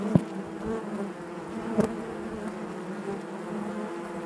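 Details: Steady hum of honey bees in the hive, low and even, broken by two sudden loud buzzes of a bee flying near, the colony's drone otherwise unchanging.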